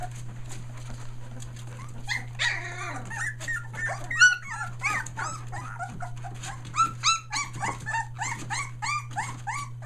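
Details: Nearly three-week-old Australian Shepherd puppies near Mooresville, NC, having just found their voices, make a broken chorus of high, wavering whimpers and squeaks that grows denser and more rhythmic toward the end, set against a steady background hum.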